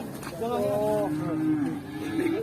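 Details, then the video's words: Raging cattle from an Indonesian farm compilation: a drawn-out, harmonically rich moo that wavers and bends in pitch over two seconds, with a faint human voice beneath. "SAPI NGAMUK"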